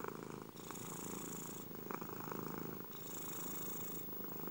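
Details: Short stretch of a domestic cat purring, a dense rumbling vibration with two slow breath cycles, each a little over a second long.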